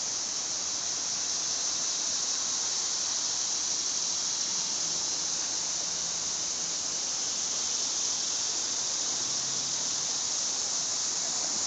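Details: Several annual cicadas of various Tibicen species sing loudly together from trees in Trenton, New Jersey, in a steady, hissing high buzz that never lets up.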